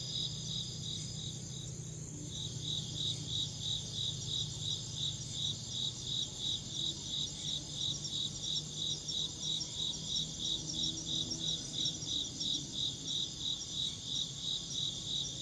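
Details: Chirping insect giving rapid, regular high-pitched pulses, roughly three per second, over a continuous shrill hiss; brief soft disturbance near the start and low background hum throughout.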